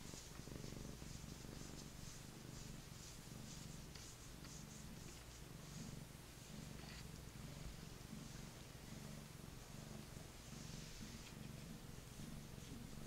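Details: Male Maine Coon, a cuddly lap cat, purring strongly while petted indoors, an even deep rumbling drone with soft fur-rustling sounds over it.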